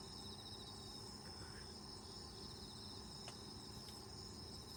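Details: Camping in the countryside in autumn, insects chirp outside the open tent: a thick wall of high trills and beating pulsed calls, with a couple of faint taps and a gentle background murmur.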